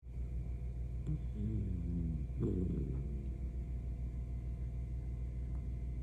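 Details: Senior Miniature Dachshund snoring while asleep: low rumbling breaths with a few short nasal, tonal wavering sweeps in the first three seconds, then a steady low drone; no other clear sounds.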